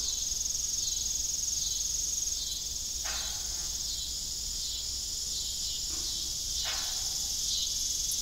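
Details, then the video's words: Evening crickets around an old farm windmill keep up a continuous high-pitched trilling chorus, broken only by a few short creaking knocks partway through. "Evening Cricket Sound"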